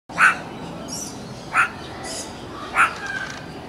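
A meerkat gives three short, sharp barks, each a little over a second apart.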